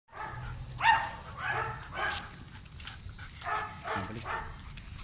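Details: German Shepherd out on a walk, giving a series of short barks roughly every half second to second, spaced irregularly over low background rumble.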